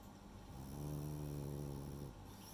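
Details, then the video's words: Sleeping female French Bulldog named Rei gives a single sustained snore, a low vibrating rumble that swells gently, holds steady for over a second, then cuts off, against faint background hiss. "フレンチブルドッグのイビキ（snoring dog）"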